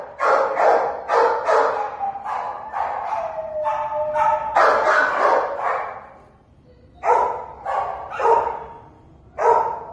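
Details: Treeing Walker Coonhound awaiting adoption, barking repeatedly in bursts: a rapid run of loud, broad barks with a few longer baying notes, a brief pause, then four more spaced barks.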